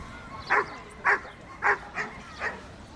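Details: At a 2012 Dobermann championship show, a Dobermann gives five short, sharp barks, roughly every half second, over a low steady background hum.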